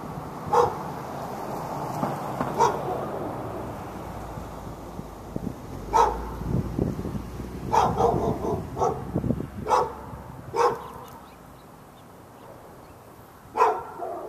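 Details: On February 15, 2012, in Raleigh, North Carolina, a dog behind a fence keeps barking at the dog next door and other dogs within earshot. About ten scattered single barks come at uneven intervals over a low rumbling background.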